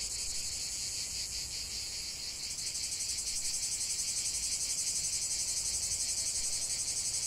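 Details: Chorus of cicadas singing in nature, a relaxation recording: steady shrill buzzing that swells slightly louder midway, with a fast even pulsation running through the whole stretch.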